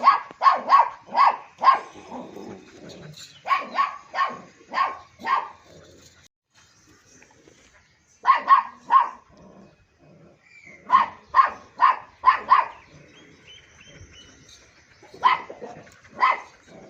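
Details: Barking from a long-coated German Shepherd at Joyia goat farm, Bahawalpur: repeated volleys of four to six quick, punchy barks separated by quiet pauses of one to two seconds, the bursts evenly loud across the stretch.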